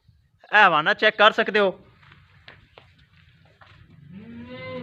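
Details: Jersey Friesian cow kept for sale at Pakpattan; a loud, pulsing, throaty moo lasting about a second, then quiet room noise and a softer rising low call at the end, with a person speaking nearby.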